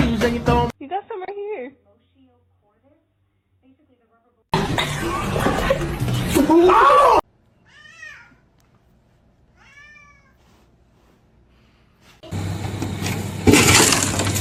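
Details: Kitten meowing: several high, arched, tonal meows, each under a second, in quiet gaps between loud bursts of music and noise, with people talking at the start.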